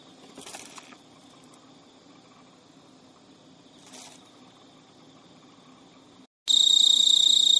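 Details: A male Emma field cricket, a pet filmed at midnight in early September 2011 in Japan, gives a thin, high, steady chirping courtship song, turning suddenly loud near the end, to a female who ignores or rejects him.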